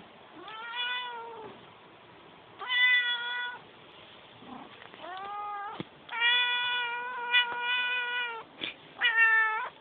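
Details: Domestic cat meowing repeatedly indoors: several drawn-out, harmonic meows of about one second each, some rising then falling, spaced by short pauses, with a faint background hiss.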